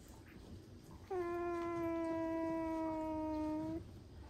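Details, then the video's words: Baby Asian small-clawed otter named Tororo complaining in a pool: a single steady, drawn-out tonal whine lasting under three seconds, rich in harmonics, holding one pitch and easing slightly lower before stopping abruptly, over faint background noise. "Baby Otter Complains in the Pool!"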